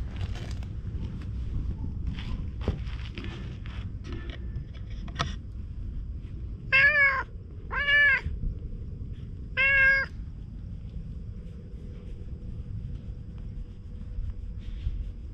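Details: Stray cat in an empty shopping arcade, chatty while being stroked, utters three clear, evenly spaced meows in quick succession, each a short arched cry, over low background hum with light rustling.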